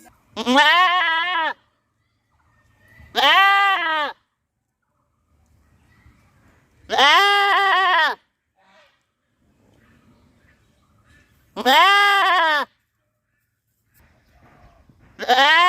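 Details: Goats screaming loudly in a village, five strong harmonic baa bleats of about a second each, spaced roughly three seconds apart, with near silence between them.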